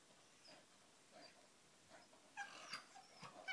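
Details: Staffordshire Bull Terrier playing with its mother, two dogs together; soft muffled scuffles give way to a burst of high, thin whimpering yips with bright harmonics in the last second, then a few short squeaky whines.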